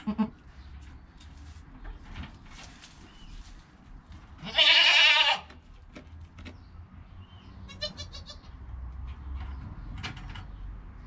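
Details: Goat kid less than an hour old, filmed on a GoPro with its calm mother nearby: a single strong, harmonic bleat midway through, surrounded by quiet rustling and brief faint squeaks.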